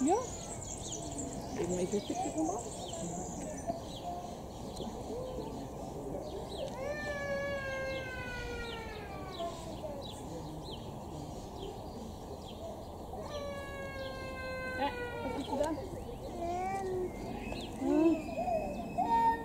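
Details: Lar gibbon family, monogamous forest dwellers of the treetops: two long, clear wailing calls rich in overtones, each rising briefly then sliding steadily downward, separated by a pause, over constant background hiss and faint chatter.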